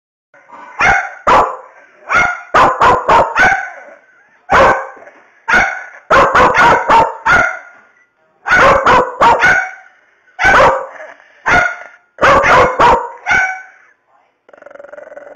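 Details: Louie, an angry Bedlington Terrier, barks furiously in rapid clusters of three to five harsh, loud barks, broken by short pauses and a few growly drawn-out yaps. A faint hum is audible at the end.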